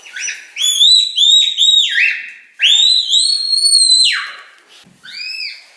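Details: Loud, clear red panda squeaks: a run of short whistled notes that rise then level off, followed by one long drawn-out squeal that drops sharply at its end, then a softer arched squeak.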